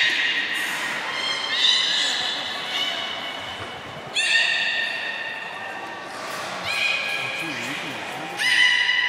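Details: Beluga whale at Port of Nagoya Public Aquarium on 30 March 2019, during play time after a feeding session, gives bright, squealing calls with a rich, nasal buzz, starting afresh every few seconds.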